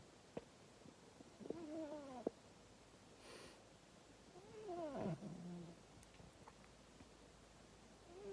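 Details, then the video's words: Scampi, a female domestic cat, snoring loudly indoors; two tonal, swooping snore breaths roughly three seconds apart, the second sliding downward, over a faint background hiss with a few clicks. "Scampi the cat snores so loud"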